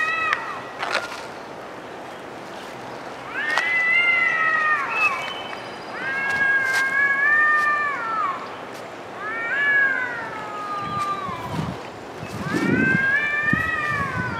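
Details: Cats arguing in the woods: long, drawn-out wavering yowls in four main bouts of one to two seconds each, rising and falling in pitch, separated by brief quieter gaps, with faint outdoor background.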